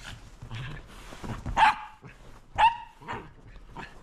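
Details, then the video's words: Sheltie called Roco playing with a lint roller, letting out two strong barks roughly a second apart, with quieter shuffling and a softer yip afterward. "わんこ音量注意‼️コロコロで遊ぶロコ【シェルティ ロコ】"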